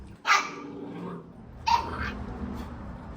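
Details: Puppies eating food and angry; two sharp, high barks about 1.4 seconds apart, each a short noisy burst with a slight whine in it, over a low background hum.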